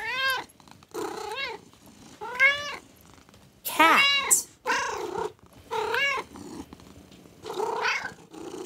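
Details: Cat meowing in a string of about seven drawn-out, arched meows roughly one per second, one louder and higher near the middle, with short gaps of quiet between calls.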